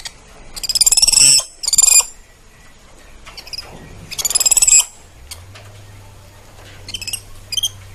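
A spider monkey calls in short bursts of shrill, fast-pulsed squeaks and chitters, each lasting about a second with pauses between. A faint low hum sits underneath toward the end.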